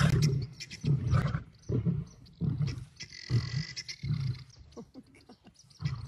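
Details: Male lions fighting over a lioness: deep pulsed grunting roars repeated roughly every second, with a brief higher hiss mid-clip.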